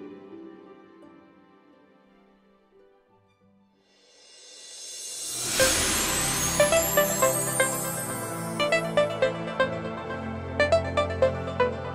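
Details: Soft tones fade out, then electronic music swells in with rhythmic beats; no animal sounds are heard.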